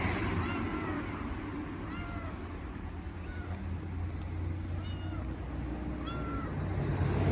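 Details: Hungry homeless kittens on an Istanbul street meow loudly, four short bent meows spaced one to three seconds apart, each with a high squeaky overtone, against constant low traffic-like rumble.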